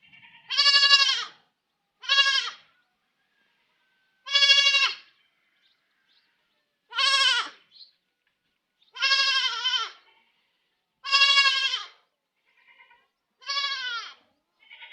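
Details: Goat kid crying repeatedly: eight loud harmonic bleats, each under a second, some wavering and falling in pitch, spaced roughly every one to two seconds in otherwise quiet surroundings.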